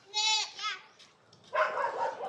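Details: A goat in a herd driven by a new shepherd lets out one short, nasal, tremulous bleat, followed after a pause by a noisy stretch of mixed voices and scuffling.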